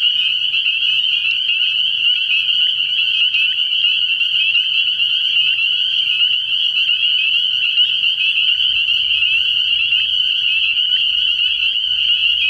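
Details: Early-year frog pond at night where countless spring peepers call together, producing a constant high shrill trilling drone without gaps, and a faint low rumble entering toward the end.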